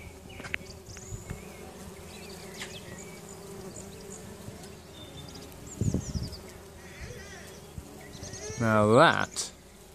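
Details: In summer, a tree full of bumblebees in a back garden hums steadily in the background, with one loud, close buzz sweeping past near the end.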